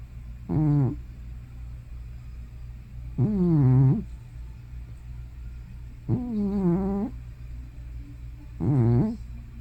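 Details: Hana, an elderly pet cat probably over 15 years old, makes loud sounds while asleep, either snoring or sleep-talking. Four voiced, moaning notes swoop low then rise, each about half a second to a second long, roughly every two and a half seconds.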